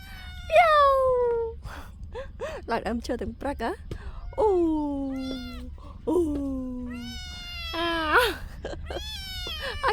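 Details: Kitten climbing a tree gives about four loud drawn-out meows, each starting high and sliding down in pitch, spaced a couple of seconds apart, with a person talking in between.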